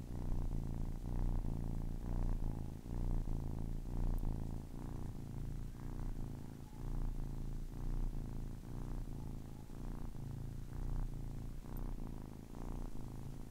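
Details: Deep, rhythmic purr of a 10-week-old kitten, rumbling pulses repeating about once a second with slight swells in loudness.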